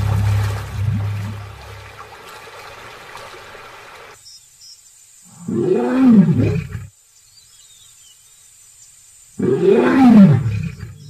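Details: Lion giving two loud, low moaning roars that arch up and fall back. They come about four seconds apart and each lasts roughly a second and a half. Low rumbling noise comes first, and quiet gaps separate the roars.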